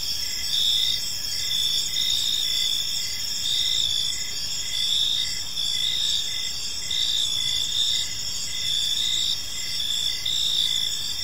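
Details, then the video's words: Gentle evening chirping of crickets in a park, several high-pitched pulsing trills stacked together, steady throughout with slight swells, faint low noise underneath. "Park Serenade: Cricket Sounds in a Peaceful Park | Evening Ambience"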